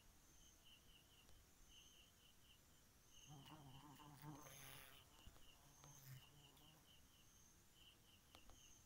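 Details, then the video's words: A bee at night gives a low droning buzz with layered overtones that swells in mid-clip and lasts about three seconds before fading. Steady pulsing cricket chirps continue high above throughout. "Bee at night"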